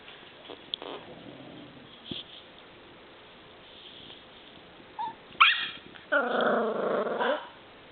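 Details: Nine-week-old purebred miniature schnauzer puppy barking indoors at home; faint quiet sounds, then a sharp high yip and a drawn-out, howling whine-bark lasting about a second.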